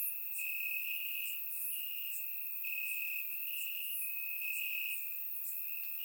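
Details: Warm summer night in Bulgaria, crickets chirping in grass, surround microphone: an unbroken, high, even trill runs throughout, overlaid by sharper high chirps that pop up every half second or so.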